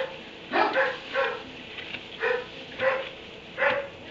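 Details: Kenneled dog in a barn at 3am, giving a run of short sharp barks, about five in four seconds, each a brief harsh burst with clear tonal bands, over faint steady hum.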